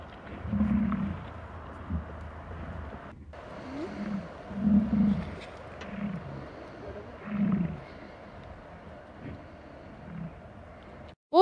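Bison giving deep, rumbling grunts and low roars, about six bursts spaced one to two seconds apart, over a steady low background hum.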